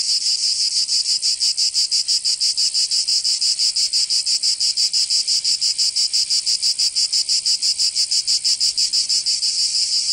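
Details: Summer cicada song from Provence in the south of France, a shrill, even buzz throbbing in fast, very regular pulses, about three per second, filling the clip without pause.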